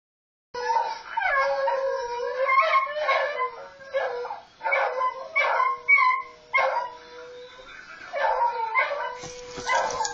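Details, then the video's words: A beagle howls in answer to other beagles heard howling on a video, giving long wavering bays that rise and fall in pitch. "Seamus howling at other beagles howling.m4v"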